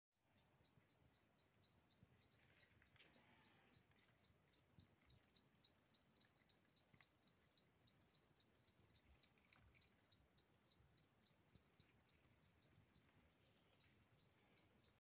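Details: A two-spotted cricket (Gryllus bimaculatus) sings a steady run of high, pulsing chirps.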